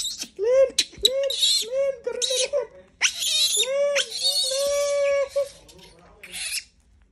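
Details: Screams from a monkey being disturbed: a rapid series of arched, harmonic squeals, each rising and falling, repeated several times a second, then one long sustained shriek before it fades out.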